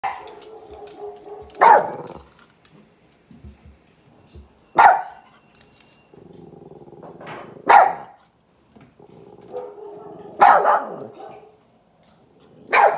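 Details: Pet puppy reacting to a recording of another dog barking: five sharp, loud barks about three seconds apart, with low droning, growl-like tones between them.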